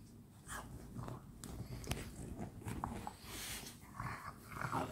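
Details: French Bulldogs at play together at night indoors in a small room: short snorts, rough grumbling growls and mouthy biting noises in quick irregular bursts.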